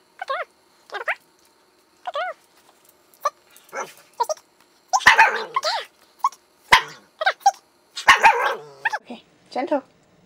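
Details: Female Siberian Husky, five years old, speaking on command at home: a string of short, arched, harmonic yips and grumbling barks at irregular intervals, mixed with a person's talking throughout.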